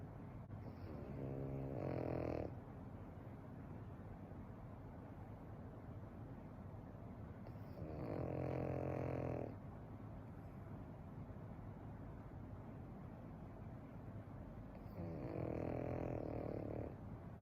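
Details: A Pekingese snores nonstop while sound asleep, in loud, rasping bursts about every six to seven seconds.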